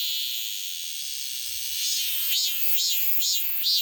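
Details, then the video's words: Cicada song: a dense, high, shrill buzzing drone that swells into a pulsing rhythm of repeated rising-and-falling surges, roughly two per second, in the second half. "매미 소리"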